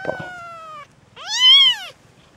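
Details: Young Peterbald kittens born in October 2013, a mixed Peterbald and Oriental Shorthair litter, mewing: one long, steady, slightly falling whine, then a louder arched cry that rises and drops, in a quiet room.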